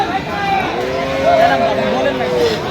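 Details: Friesian and crossbred bull calves for sale at Aftabganj cattle market in Dinajpur, 12/11/25: one drawn-out, tonal moo swelling slightly then tailing off over about a second and a half, set against constant market chatter and voices.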